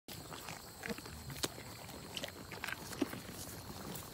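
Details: Sheep in a pasture eat small green apples fallen from a tree overhanging the fence: sharp, irregular crunching bites and wet chewing clicks against a quiet outdoor background.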